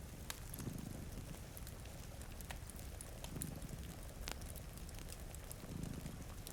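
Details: Sleeping cats purr by a rain-streaked window, three low throbbing swells spaced a few seconds apart, half buried under hissing rainfall and bright pops from a crackling fire.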